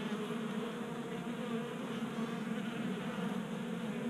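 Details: Honey bees burning winter stores during a warm January day in Colorado, gathered at a 3D-printed feeder indoors; thick, uniform buzzing of many wings over a noisy hiss.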